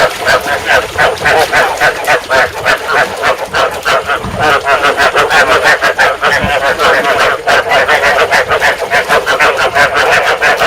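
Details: Chorus of field frogs, played to lure frogs into traps and stimulate breeding. Loud, fast, rhythmic croaks overlap throughout, about three a second, with a steady pulsing drive and no pauses.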